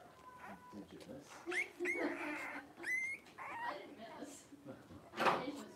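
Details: Five 3-week-old blenheim Cavalier King Charles Spaniel puppies wrestling and playing in an indoor puppy pen; high, whining yelps and squeaks that bend upward, scattered across the stretch, over soft rustling.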